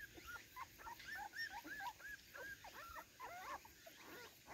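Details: Garden debut of an excited Cardigan Welsh Corgi at play, recorded 13 September 2024: a dense run of squeaky, arching whines and short yips tumbling over one another.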